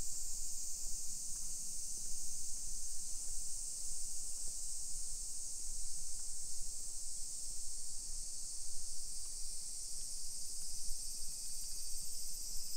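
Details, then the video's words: Midday summer cicadas on 28 July 2021 in hillside Nisshin, about 20 km from downtown Nagoya, Japan. The thin, steady high-pitched drone persists without pause, partly masked by louder low rumble and occasional soft clicks. "Summer Cicadas Sounds"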